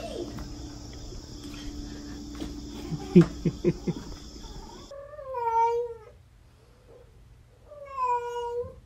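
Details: A cat gives two drawn-out meows with rich harmonics, each about a second long and spaced a few seconds apart. Clattering and knocks come before them, with a faint steady background hum.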